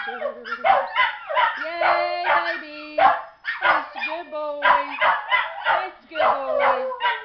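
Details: A pair of pet Miniature Schnauzers sing along with a woman leading a song, sustained wavering howls holding level then dipping, mixed with her sung words.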